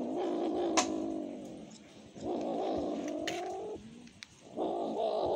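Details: A cat begs for food with long, drawn-out, wailing meows, each held for over a second with a slight rise and fall in pitch, separated by short pauses.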